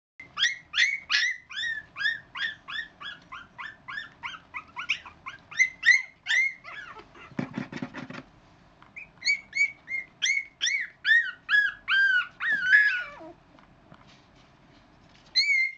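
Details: Litter of puppies about four weeks old giving rapid, high, squeaky whimpers and yelps, many overlapping short rising-falling notes repeated over two per second, with a brief burst of scratching or shuffling midway.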